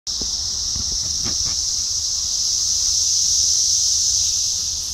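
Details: Cicadas in Rockville, Maryland: a loud, continuous high-pitched droning buzz holds steady throughout, with a few low thumps near the start and a brief spoken exclamation.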